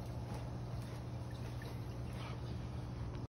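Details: Continuous low droning hum like a motor or wind, with no animal sounds.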